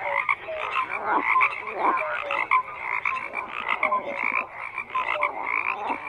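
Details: Frog chorus: rasping croaks overlap continuously, with short pure piping notes repeating every second or so and swelling and fading in loudness.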